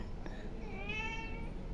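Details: Meowing house cat, hungry and being offered rice; a single clear meow swells in the middle, held steady then tapering, after a faint short click, over constant low background hum.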